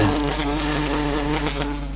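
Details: Indoors, a queen buff-tailed bumblebee crawls up a windowpane after failing to escape the house; a short, steady, deep buzzing drone with layered harmonics, fading a little at the close.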